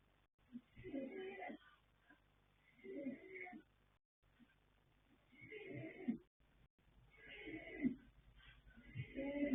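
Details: Deep in sleep, foal Yanta, a colt born 21 January 2026 to Fast Force and Pink Blossom, snores in a loose rhythm: four to five scratchy, breathy rasps about every two seconds.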